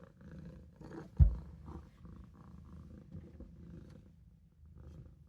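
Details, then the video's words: Maine Coon kitten Olof resting in the sink; soft, quiet low purring rumble with a sharp knock near the start, otherwise muted and faint. "Olof is taking a nap in the sink | Maine coon | Maine Coon kitten"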